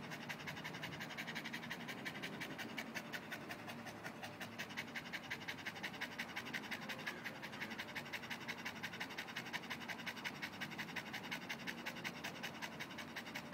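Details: Panting Boston Terrier cooling down after ball play, rapid rhythmic breaths at roughly three per second, airy and even, with no other sounds.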